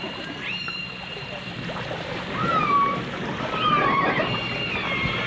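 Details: Dolphins, from a 1989 stereo recording of dolphins and orcas, give a few long underwater whistles, two gently falling tones in the middle and a faint rising sweep early on, over steady watery hiss and crackle.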